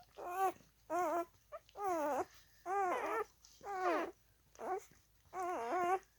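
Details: Alaskan husky puppy, four days old, crawling about and whimpering: seven wavering, harmonic whines, each about half a second long and roughly evenly spaced, some with a quavering pitch, in a small quiet room.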